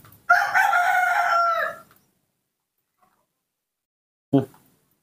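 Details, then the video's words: A young monkey kept by people asks for milk rather than bananas with one sustained, clear, harmonic whining cry of about one and a half seconds, then silence and a short low thump. "Not wanting bananas, the baby monkey Nomi makes a sweet call asking for milk"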